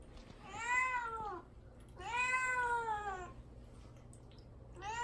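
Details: Mamedaifuku the cat, isolated in a cage before neutering and wanting out, gives two long, rich, downward-curving meows about a second apart, with the start of a third at the end, indoors.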